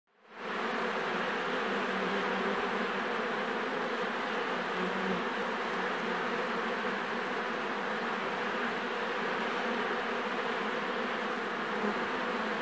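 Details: Honey bees crawling over honey at a beekeeper's; a dense steady hum of many wings, constant and even throughout, with layered droning tones and no clear breaks.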